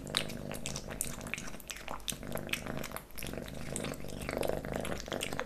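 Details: Close-up ASMR recording of Leo, a pet kitten, working through pate, stick and creamy cat treats: quick moist lapping and chewing taps repeat densely over a continuous low rumble, briefly thinning near the middle.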